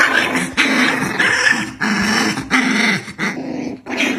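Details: Black dog and white dog fighting, growling continuously: rough, throaty snarls in rapid surging bursts about every half second, with snapping yips and scuffling between the pulses.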